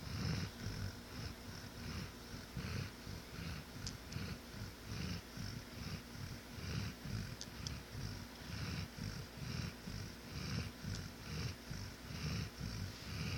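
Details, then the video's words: Deeply sleeping dog named Scrub snores fast and steadily, a coarse low-pitched rattle repeating many times in a regular breathing rhythm, with a couple of faint ticks in the background. "The snoring of my dog that woke me up."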